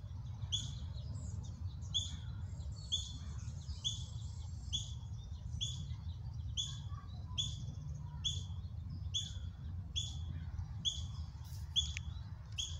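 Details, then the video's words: Ten or more juvenile ground squirrels practicing foraging and alarm calling; a long run of high, sharp chirps with dropping tails, roughly one per second, some overlapping, over a constant low rumble. "Ground Squirrel Mom Froze twice during Jr GS false alarm call"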